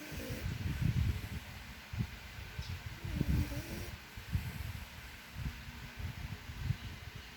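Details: French Bulldog named Travis snoring loudly, said to snore like a human; low, rumbling, breathy snorts come in uneven bursts about every two seconds, with a soft hiss between breaths.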